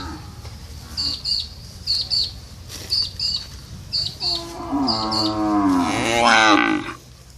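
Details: Cow lowing after a run of short, high bird chirps: a drawn-out moo that starts low, climbs into a strained, hoarse bellow and fades.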